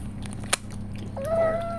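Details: Indoor pregnant cat preparing for the arrival of her kittens lets out one drawn-out, level meow near the end, after a quiet stretch with a steady low hum and a single click.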